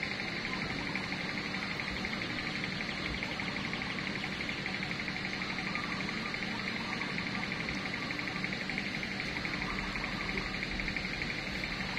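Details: A steady wash of dense background noise, like a busy outdoor gathering, with no clear animal call standing out.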